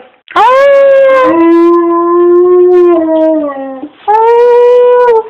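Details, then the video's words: Pet dog howling when prompted by its owner: a long harmonic howl that swoops up, holds steady, steps down to a lower held tone and slides off, then a second, higher sustained howl follows. "Making my dog howl"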